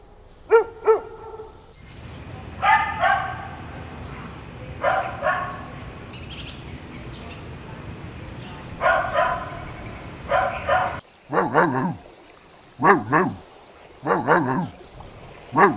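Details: Golden Retriever puppies playing together outdoors on a green meadow; short clusters of two or three barks, then sharper, higher yelping yips repeated about once a second.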